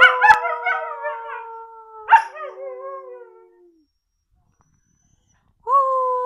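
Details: Siberian Husky howling indoors: a long steady howl slowly falling in pitch, a second shorter wavering howl, silence, then the start of another howl.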